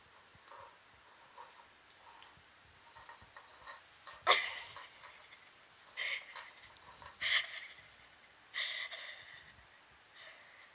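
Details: Moka, a toy poodle puppy, plays a game of finding a treat hidden under one of several shuffled cups. After soft breathing come four sharp, breathy snorts and sniffs, spaced one to two seconds apart.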